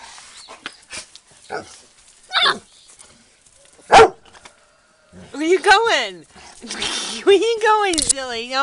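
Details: Yellow pups playing with a toy, one trying to get it from its sister: scattered soft yips, one sharp bark midway, then drawn-out wavering whines and growly yelps rising and falling, over a person's voice.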